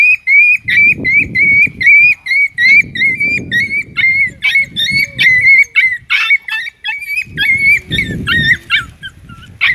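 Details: Dog during mating between a big dog and a small dog: high, thin whines repeated rapidly, several per second, some wavering and rising at their ends, over bursts of low rustling or panting.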